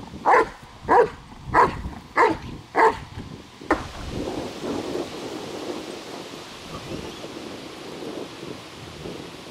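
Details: German Shepherd in protection training, a trained protection dog under control: six loud, evenly spaced barks in under four seconds, then low rumbling background noise with no further barking.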